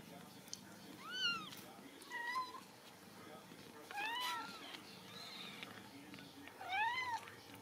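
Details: Ragdoll kittens raised at a home cattery in central Kansas, kept without cages, mew repeatedly: short, high, arched calls rising then falling, about five over several seconds, with faint soft speech and room noise behind.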